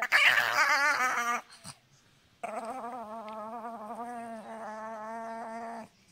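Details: Pet dog making strange gremlin-like vocal sounds: a loud harmonic whining yowl for over a second, a pause, then a long steady warbling growl-whine held for about three seconds with wavering pitch.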